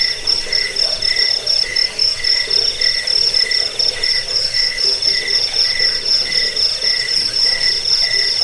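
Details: Crickets chirp in a dense chorus in a recording sold as a rat repellent, sleep aid and training track for songbirds. A lower voice gives short, evenly spaced chirps under a near-continuous shrill high trill.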